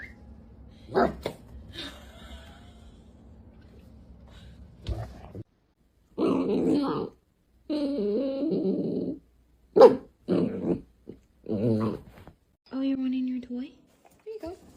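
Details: A pet dog in a funny home compilation gives a run of short growly, whining vocal bursts with bark-like notes, some rising and falling in pitch, separated by silent gaps; a quieter stretch with faint household noise comes first.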